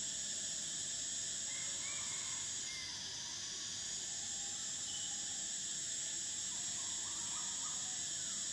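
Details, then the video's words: Thai cicadas in summer produce a constant high-pitched sizzling drone, layered bands holding steady, with faint brief chirps and whistles from other animals in the background. "Cicadas: the sound of summer"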